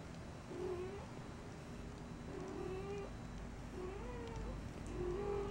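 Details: Persian kittens in a basket, one, Kumquat, dozing while the other, Kemo Sabe, nibbles her ears; a series of thin, wavering, slightly rising mews, four or five spaced about a second apart, over a steady low indoor hum.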